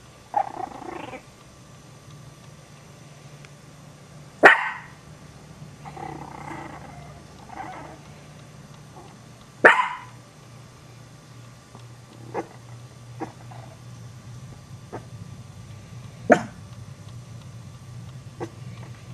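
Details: Dog barking near Chihuahua puppies that are startled by it: sharp, loud barks burst out about every five seconds, with softer yips and rough growly sounds between them over a low steady hum.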